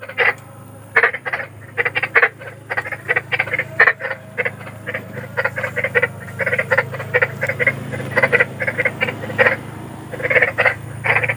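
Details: Large wild frogs at night: clusters of brief rasping croaks coming in bursts with short pauses, several callers overlapping, over a low continuous rumble.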